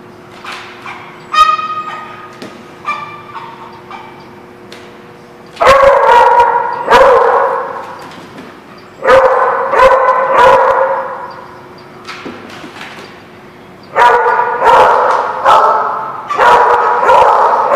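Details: Dogs at a boarding facility called The Barking Lot, recorded 4/1/17, barking in loud bursts around six, nine to ten and fourteen to seventeen seconds, with quieter yips and a steady hum between them.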